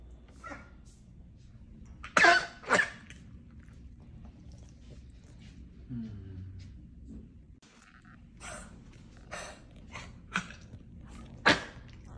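A corgi gives sharp, harsh honking coughs in short bursts, typical of kennel cough.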